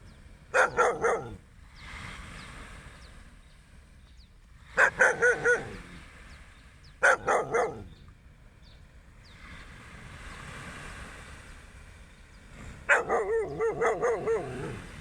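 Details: Dog barking on a beach walk at sunrise, four bursts of several quick sharp barks spaced about four seconds apart, with soft background hiss between bursts.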